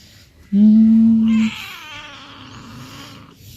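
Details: Pet cat playing in front of its home gives one steady, drawn-out meow of about a second, level in pitch, followed by a woman speaking Vietnamese.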